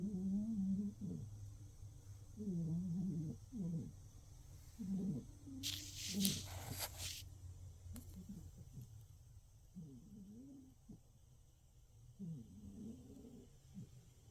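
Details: A cat asleep in the dark, snoring in a steady rhythm. Low, rough, wavering tones repeat every second or two, and a brief burst of hissy rustling sound interrupts midway.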